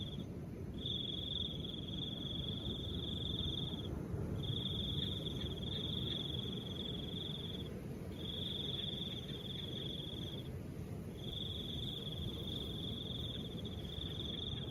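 A cricket trills in long, steady high-pitched bursts of about three seconds over a soft wind.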